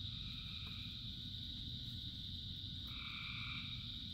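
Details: Rain-soaked frog chorus of thousands: a shrill constant trill and patter of rain, with a single lower croak fading in and out before a louder droning call begins near the three-second mark.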